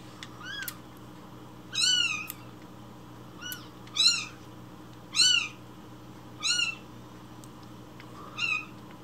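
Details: Hungry rescued kitten crying loudly for its morning milk before feeding; strong, piercing meows, each swooping up then down, repeated about every one to two seconds over a faint background hum.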